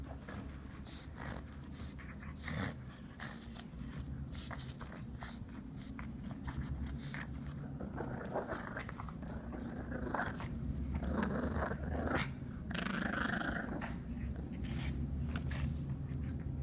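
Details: Pug playing with his new pink elephant toy indoors; low, rough rumbling and snorting grow louder and denser through the second half, with rustling and thumping of the toy throughout.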